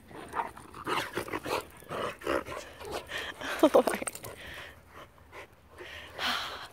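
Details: Two whippets on the off-lead part of a walk, panting in quick, breathy bursts repeated about twice a second, with short louder huffs midway and brief rustling between breaths.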